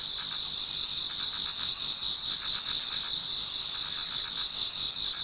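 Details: Japanese garden in autumn toward daybreak, filled with many singing insects: continuous high-pitched trilling in layered bands, soft rhythmic chirp pulses beneath, level and unbroken.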